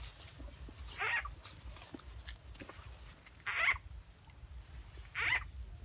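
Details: In rural Rizal, Philippines, a frog sound used as a lure for catching frogs: short, nasal, buzzy calls repeated every couple of seconds over a low outdoor rumble.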